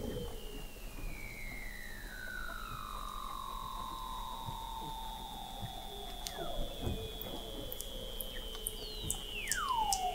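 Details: Weddell seals under thick sea ice in McMurdo Sound, Antarctica, picked up in November 2017 by an observatory 21 m below the ice: long descending whistled glides, one sweeping from high to low over several seconds, with a steady high tone and late sharp downward sweep.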